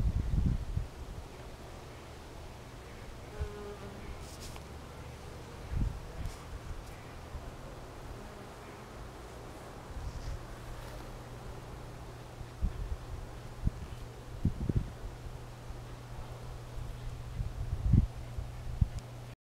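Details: Western honey bees busy at work on a cool day: a low, steady buzz drones on, with occasional soft knocks and rustles nearby.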